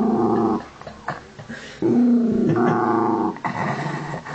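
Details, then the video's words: Honey, a Miniature Dachshund, growls in anger over a pig's ear, indoors; rough throaty growls rise and fall in bursts, with quieter breathy stretches between louder surges. "Miniature Dachshund, Honey #8 Pigs Ear (Angry dog 2)"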